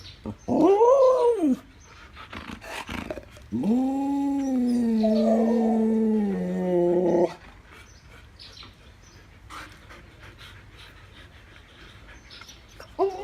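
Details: Siberian Husky vocalizing while given a snack: a short rising-falling arched howl-like call, then a long sustained moaning 'talk' with wavering pitch lasting about four seconds, followed by quiet room noise and a brief sound at the end.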